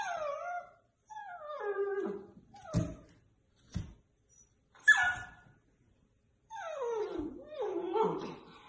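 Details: Household dog prompted to "speak" amid singing of "If you're happy and you know it"; drawn-out whines sliding downward in pitch, broken by sharp clicks and a brief yip, then more falling howl-like whines.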